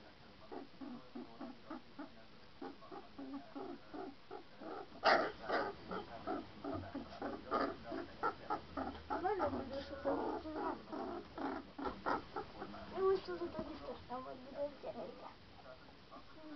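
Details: Three-week-old St. Bernard puppies, a litter including Berkenye, Beethoven, Hektor and Kázmérka, recorded on 7 March 2012, giving a dense run of short high whimpers and squeaks, repeated rapidly, with some human voices mixed in.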